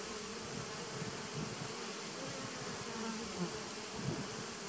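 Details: Short stretch of honey bee colony noise from a 2017 nucleus hive, 19 September 2018: an even, low buzzing drone with a softer upper layer and a thin steady high tone behind it.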